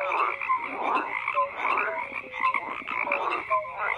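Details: Frogs croak in a thick chorus, rasping pulses swelling and fading roughly once a second, with short tonal, slightly falling notes popping out between the rougher calls.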